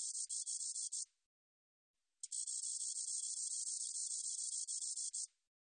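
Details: Spotted katydid, recorded 2020 by the National Institute of Biological Resources: a one-second high buzz, a pause, then a three-second buzzing trill with a faint rapid pulsing texture, no other sounds.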